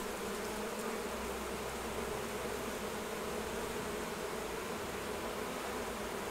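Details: Buzzing of honey bees around the hives while a beekeeper takes off the honey harvest; a dense, unbroken drone holds evenly from start to finish against a broad hiss.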